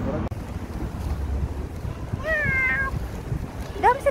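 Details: Street cat in January 2024 giving a single drawn-out meow with rich harmonics, rising slightly then sliding down, followed moments later by a short upward mew; low rumbling background and a few soft human words nearby.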